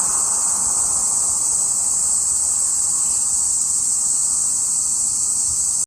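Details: Cicada singing, recorded 17 July 2021: an unbroken, steady, very high-pitched hissing drone that never pauses, with faint traffic rumble underneath.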